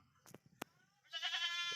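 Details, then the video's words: Goat kept behind a house, checked at night, gives a loud buzzy wavering bleat lasting about a second after a few soft knocks and clicks. "Mga Alaga Kambing Check na Natin .sa Gabe."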